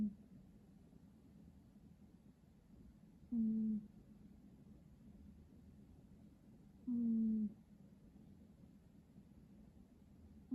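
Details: Cat snoring in its sleep: two faint, low whistling breaths about three and a half seconds apart, each holding a steady tone that sags a little, against a soft room hum.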